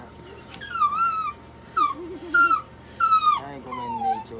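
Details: Toy Poodle at a veterinary clinic in Nagoya during treatment, giving high drawn-out whines that bend downward, several in a row, mixed with short wavering cries and background speech.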